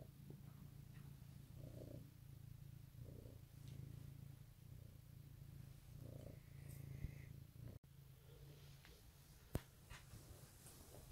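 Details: Domestic cat purring in the morning at Easter 2018, a steady low rumbling purr with rhythmic inhale and exhale pulses, a few soft clicks and rustles indoors.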